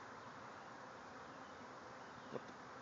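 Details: Thousands of bees swarming out of a backyard hive, flying all around. A dense, steady buzzing hum fills the air without a break, and one brief soft knock comes near the end.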